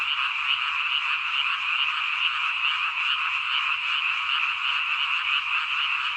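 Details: Countryside frog chorus: countless frogs croaking together in an unbroken, rasping drone with fast rhythmic pulsing, steady loudness throughout and no other sounds standing out.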